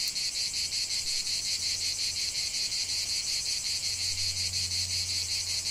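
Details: In a lavender field, cicadas keep up a loud, high, sizzling buzz beating in rapid even pulses, over a noticeable low droning hum that swells in the second half.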